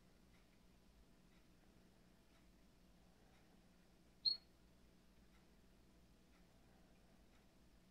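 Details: Glass frog kept in an aquarium, recorded just outside the tank: a single short, sharp high-pitched chirp rings out once midway, otherwise only faint low room hum and quiet ticking.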